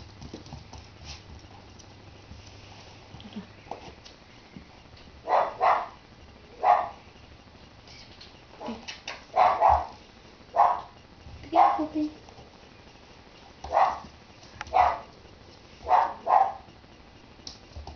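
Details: Ten-week-old puppies giving short, sharp yips in scattered pairs and bursts over a quiet indoor background, after a person praises a good puppy.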